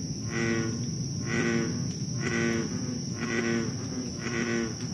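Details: Night recording from Moore's Swamp, Concord, Massachusetts, July 2013: an American bullfrog repeats low, resonant, harmonic croaks about once per second, five in a row, with a steady insect drone above.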